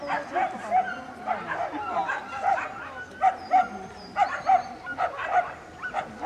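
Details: Salukis at the PL Racing Championship in Bytom, Poland, 19 September 2015, with Fifi, Luna and Zula racing; a steady run of sharp, tonal barks and yelps, several per second at times, over a background murmur of people.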